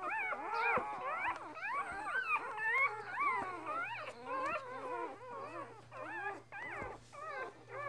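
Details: Border Collie litter of six, two days old, one brown and five black and white, mother Lilly; rapid overlapping squeaky whines about twice a second, each pitch bending up and down, with a faint low hum beneath.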